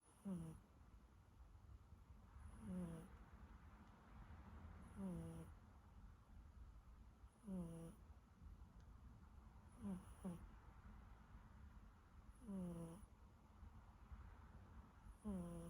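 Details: Siberian Forest kitten snoring while asleep: soft, low rasping breaths every two to three seconds, each ending in a faint whistling squeak, over a quiet room hum.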